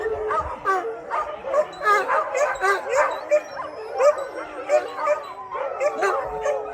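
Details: About 600 dogs at an Greek no-cage shelter howl together after a thunderstorm: a huge chorus of wavering, overlapping howls with yips and barks mixed in.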